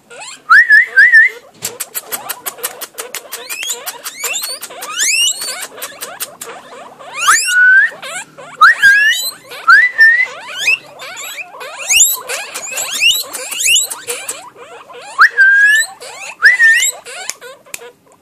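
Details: Pet guinea pigs kept as couples at home, giving loud, rising whistled squeals in short clustered bursts, broken by stretches of rapid clicking chatter and scattered higher chirps, with no other clear background sounds.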